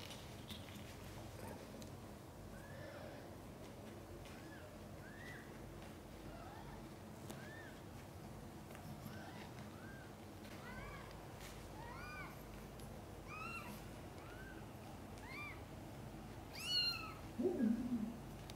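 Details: Cat labour with five kittens born, some backwards, all safely; a long run of short, high, arched mews at a steady pace, ending in a louder burst of rustling and a sharp click.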